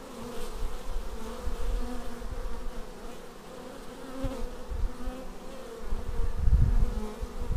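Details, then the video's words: Arriving bees at a beehive, Xiaomi Yi action camera recording: a steady swarm drone with sliding tones from passing fliers, growing louder and rumbling toward the end as bees fly close to the camera. "Bees arriving at hive"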